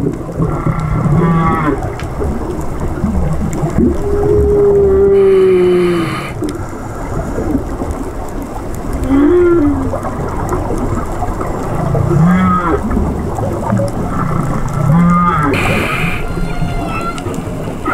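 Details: Whale song heard underwater during a dive: a long, slowly falling moan, then short rising whoops repeated every few seconds.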